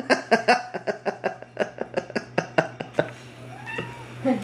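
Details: A domestic cat, fluffed up and confronting a cardboard cat, gives a fast run of harsh, harmonic yowling pulses, about a dozen in three seconds, then trails off into a gliding tone as a man speaks.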